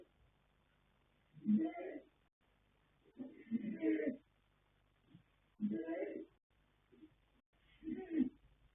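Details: Yanta, a colt foal born 21 January 2026 to sire Fast Force and dam Pink Blossom, snoring while asleep: four throaty, rasping breaths at uneven intervals of one to two seconds, with quiet pauses between them.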